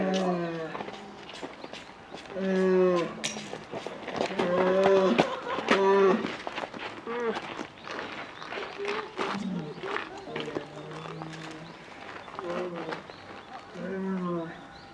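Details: Polar bear cub at Maruyama Zoo, Hokkaido, begging her mother for milk, December 2011, about to turn one; loud, lowing, pulsed moans in irregular bouts, some sustained and rising, mixed with human chatter.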